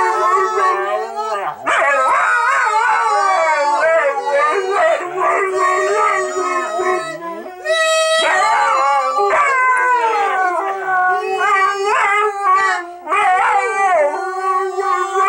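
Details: Siberian Huskies Bentley and Skylee howl through "Auld Lang Syne" with a woman singing; bursts of wavering, yodel-like howls start and break off repeatedly, with a brief pause and human voice mixed in.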